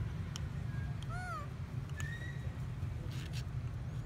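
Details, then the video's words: Crying baby monkey Sweatpea at Bayon Temple, slapped by his mother who refused to feed him; a sharp arched squeal followed by a thinner rising whine, with clicks and a deep steady rumble underneath. "Sweatpea is slapped till crying so loudly - Funny baby monkey crying so loudly at Bayon Temple"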